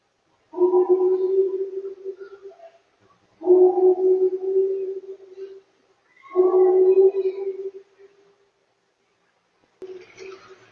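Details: Male Pacific walrus at an aquarium in Japan singing a courtship love song during the mating season; three long moaning tones, each about two seconds, low and steady with faint overtones, separated by short silences, plus a brief fourth note.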